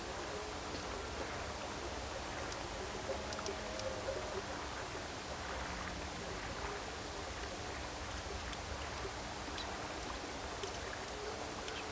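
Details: Steady rushing noise like running water fills the air, with a faint low hum and no clear animal calls.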